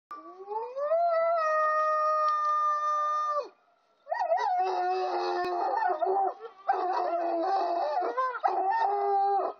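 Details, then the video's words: Wolfhound howling: a long, smooth, rising tone that levels into a sustained note for about three seconds, then after a brief pause a wavering, warbling howl with bending pitch and short breaks. "wolfhound howling"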